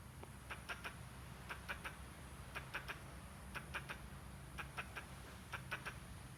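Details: Squirrel calling oddly while gesturing: bursts of three quick, rasping clucks repeated roughly once a second, fairly even in loudness, over faint low-frequency background noise.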